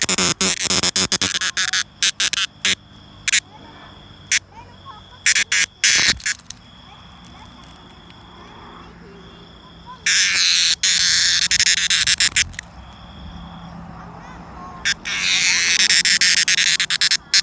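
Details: Loud rasping cicada buzzes come in irregular bursts, with a long sustained buzzing stretch near the end, over a faint high steady whine.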